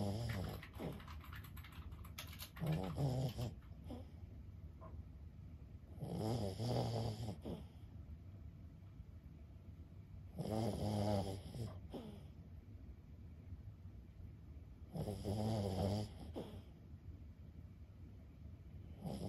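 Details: Lulu, a 15-year-old senior Boston Terrier, snores in her sleep: four low, rasping, throaty breaths come roughly every four seconds, each swelling and fading, with quiet indoor stillness between them.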